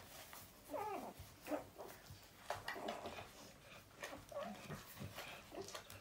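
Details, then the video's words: Newborn puppies giving thin, squeaky whines and short wavering cries, a few per second at times, with soft rustling and faint shuffling noises around them indoors. "Adorable newborn puppy noises"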